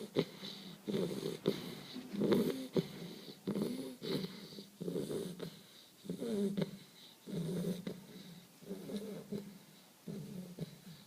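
A young Bull Terrier snores with a rough, rattling wheeze on each breath. The snores rise and fade in an uneven rhythm, roughly one per second, with a buzzy, nasal edge.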